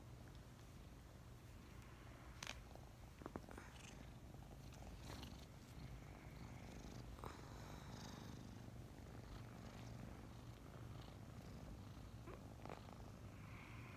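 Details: Snuggling in the morning, five-month-old adopted kittens Mint and Mocha keep up a continuous low purr, a rolling rumbling hum, while sharp little clicks and rustles of movement sound now and then.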